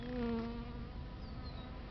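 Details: Bees feeding on a flowering plant: a steady, low buzzing hum with a strong drone, loudest at the start and then holding at a slightly lower level throughout.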